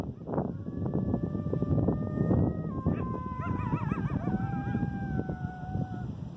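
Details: Coyotes howling on 8/11/2018: several overlapping drawn-out howls that step and slide in pitch, breaking into quick wobbling, warbling waves before settling into a long, level howl, with steady low rumble underneath.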